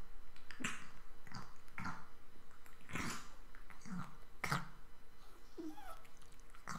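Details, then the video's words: Dante, a retired best-in-show pedigreed Exotic Shorthair Persian cat, eats a meal close to a microphone: crisp, separate chewing clicks land roughly every half second to one second, with a faint steady hum underneath. "ASMR - Exotic Shorthair Persian Cat Eating"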